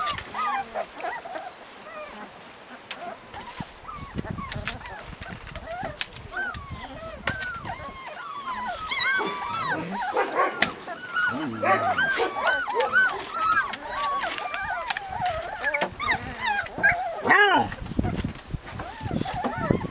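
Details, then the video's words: Husky puppies in Lapland whining together, a dense jumble of overlapping rising and falling whimpers, building louder toward the middle with occasional sharper yelps. "PUPPIES LAPLAND 2"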